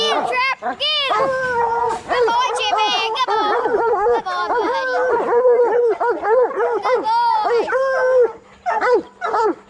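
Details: Bluetick and black and tan coonhounds training for raccoon hunting give overlapping bawling howls, drawn-out arched notes, several voices at once, with a faint hum underneath and short pauses near the end.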